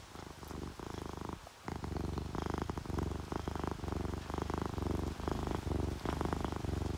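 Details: A contented purr from relaxed pet cats, a tabby and a calico, asleep during rain: steady deep rumbling in repeated breath phrases, briefly broken by a short gap around one and a half seconds.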